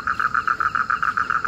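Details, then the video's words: Frogs calling at night after rain in a winter storm in rural Bengal, like the rainy season, from a family pond; a rapid, even series of short mid-pitched pulses, about seven per second, clear and steady. "তো বন্ধুরা আপনারা শুনতে পাচ্ছেন, দেখেছেন বৃষ্টি হয়েছে আর বর্ষাকালের মতো ব্যাঙ ডাকা শুরু হয়ে গেছে।"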